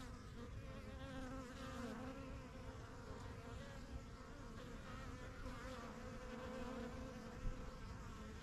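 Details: Busy honey bee hive in a backyard, the colony's strongest yellow box, bees flying in and out; a thick, continuous buzzing drone with many overlapping wingbeat tones and occasional nearer passes.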